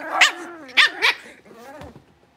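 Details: Blenheim Cavalier King Charles Spaniel puppies, a litter of five born at New Year's, in the Red Barn Cavaliers home puppy pen as they move to a bigger pen: three sharp high yips in quick succession, then a wavering whine fading away.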